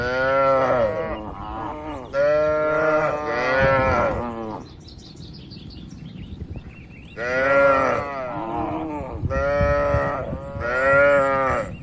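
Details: Tame cattle roaming and grazing freely in open fields, a herd moving across the land: a run of long, loud, tonal moos in two bursts separated by a quiet windy gap.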